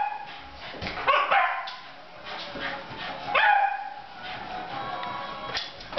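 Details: Elza, an eight-year-old female cocker spaniel, plays indoors with a pink balloon and gives two harmonic, yelping barks, one near the start and another about two seconds later, over a steady background hum.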